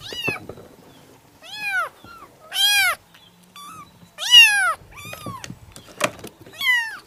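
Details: Kittens giving short, high-pitched arched meows in bursts about every half second to second, some loud and strained, with light tapping and rustle between calls.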